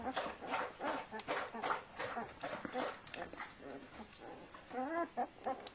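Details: Litter of Flat-coated Retriever puppies while their mother Indy cleans them; high squeaky whimpers and yelps come in quick overlapping bursts, ending with a drawn-out wavering whine.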